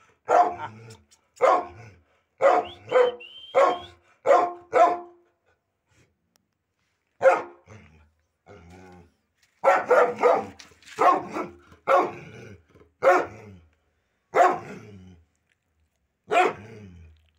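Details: Pet Pit Bull from a pair of dogs, named Simba, giving a long run of loud, abrupt barks, roughly one every half second, a brief lull with soft growl-like rumbles, then a second burst of rapid barking.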